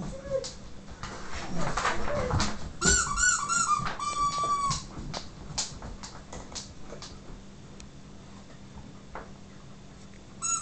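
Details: Excited Siberian huskies whimper over a squeaky toy in a small room. A drawn-out whine comes first, then a run of high, ringing squeaks and yelps, with rapid clicking and scrabbling between them.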